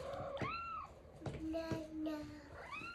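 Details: Blind domestic cat perched at the top of the stairs, calling to her owner: several short chirping mrrps with rising-falling harmonic trills, some low and flat, over faint background music.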